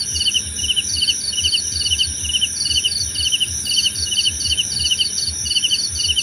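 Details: Crickets heard as nature sounds for relaxation, sleep and meditation: two overlapping callers give short pulsed chirps, one higher-pitched, repeated several times a second against a steady high-pitched insect drone.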